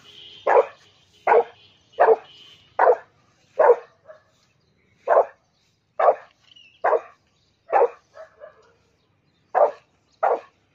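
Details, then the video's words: Angry Rottweiler reacting to a cow, giving a run of sharp, loud barks roughly every second, briefly pausing midway before resuming; a few softer grunts between barks, otherwise quiet background. "Angry Rottweiler"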